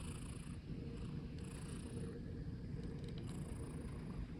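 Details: Black long-legged Munchkin cat Okoge, resting on a keyboard, gives a dense low purr with brief hissing breaths at irregular intervals layered above.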